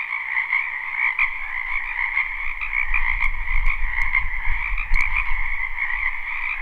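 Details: Spring wetland frogs croaking in a live recording: steady overlapping trilled chorus in two pitch bands, joined midway by low rumbling noise and a few sharp clicks.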